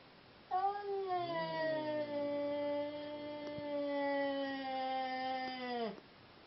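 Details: Seal Point Siamese cat caterwauling during an attempted mating of two cats: a long, steady, harmonic-rich wail held for about five seconds, slightly drooping in pitch before cutting off sharply.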